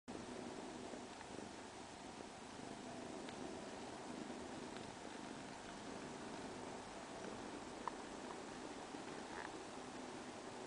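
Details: Cat purring softly and steadily, an even low rumbling texture running unbroken through the whole stretch, with faint scattered clicks and no other voices.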